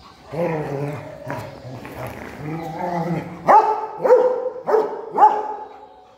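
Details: Rottweiler playing with a stone: low rumbling growl-like sounds for about three seconds, then four sharp, loud barks spaced roughly half a second apart.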